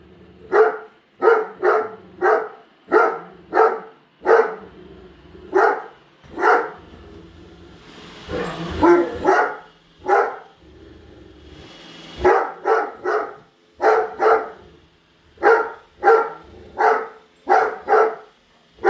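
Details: Great Dane, female, keeps barking at a new robot vacuum in the house; steady run of deep barks nearly every half second, a brief break midway filled with a person's voice and rustling, then barking resumes.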